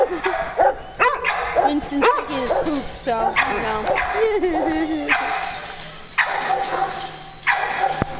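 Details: Dogs at play on a farm give sharp barks and high, wavering yips in quick bursts, several overlapping, while people talk loudly throughout.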